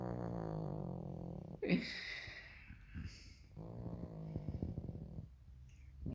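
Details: Elderly female pug complaining after being woken too early from about fourteen hours of sleep: a low, droning groan, a sudden breathy snort-like burst, then rough, crackling grumbles that fade out near the end.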